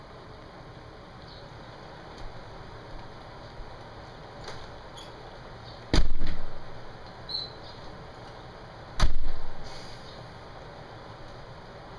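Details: Two sharp, loud metallic bangs about three seconds apart, with a few softer knocks, over a steady hiss; no animal voice is heard.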